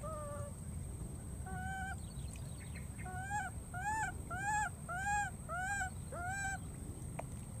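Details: Searching for its friend, a wild baby monkey gives a run of about ten plaintive, arched cries, some in rapid pairs, repeated roughly every half second to second, over a low background rumble.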